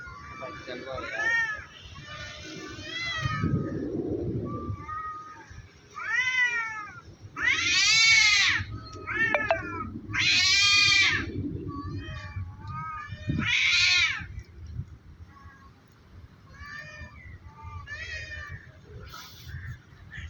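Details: Two cats threatening each other on a tree before a fight; intense rising-falling yowls and growly moans in loud bursts, with people talking in the background.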